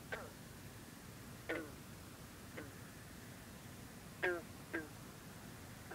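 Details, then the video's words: Green frog (bronze frog) singing at night over misty water on a humid night with cool air in the 50s, other green frogs and bullfrogs in the background; short twanging plucked notes with falling harmonics, five spaced irregularly over six seconds. "Green Frog(a.k.a Bronze Frog) singing"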